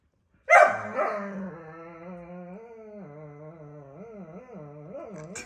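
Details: Borzoi dog in an angry fighting display: a loud, harsh opening burst gives way to a sustained, tonal moan that wobbles repeatedly up and down in pitch for several seconds.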